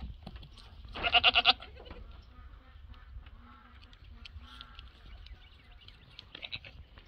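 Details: Goat bleat amid a herd of Nigerian Dwarf goats joined by Rosie, a two-week-old mini Nubian kid: one loud, wavering, harmonic-rich bleat pulsing for half a second, then quieter rustling, soft distant bleats and faint voices.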